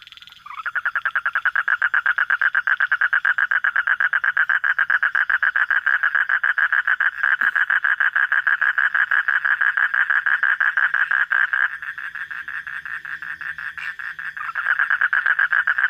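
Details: Frog heard at night giving a long, fast train of rattling croaks, about two per second, steady and loud throughout with a brief dip near the end.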